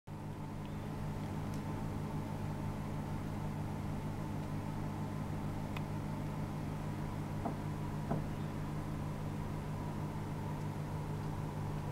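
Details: Steady low mechanical hum like a motor or fan, with a few faint clicks and no animal sounds.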